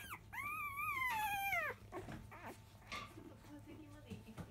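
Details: Field-line Labrador Retriever pup, five days old, at its 10 a.m. feeding from its mother biscuit: one loud, wavering, high whine lasting about a second and a half sags at the end, followed by softer grunts and little squeaks.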